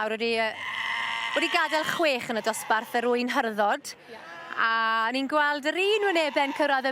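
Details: Welsh Black Mountain sheep bleating: several overlapping, wavering, nasal bleats follow one another almost without pause, some rising then falling, with a short lull near the middle; music is heard around them.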